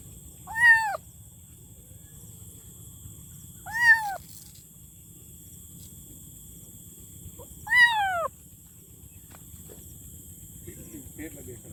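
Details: Kitten meowing loudly: three separate rising-then-falling meows spaced about three to four seconds apart, each clear and harmonic, over low background rumble and a faint steady high-pitched whine.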